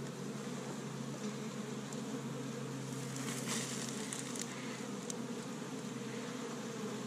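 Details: Honey bees from an established hive in Michigan, busy on the first warm day of spring, gathering pollen from tree buds; a steady, dense droning hum with layered low tones, a few faint clicks near the middle.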